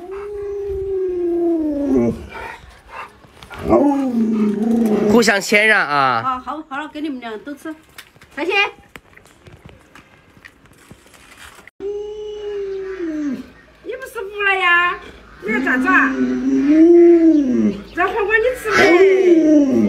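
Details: Luoluo, a pet Alaskan Malamute, vocalizing to wake its owner who stays in bed after sunrise: drawn-out, wavering howl-like moans, some sliding downward, broken by pauses, mixed with a person's speech.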